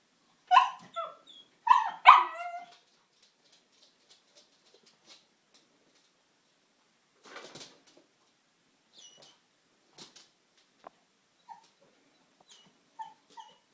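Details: Pug puppy Oscar, eight months old, barking at the Hoover indoors: three loud, quick yaps near the start, followed by long quiet with faint scattered taps and clicks.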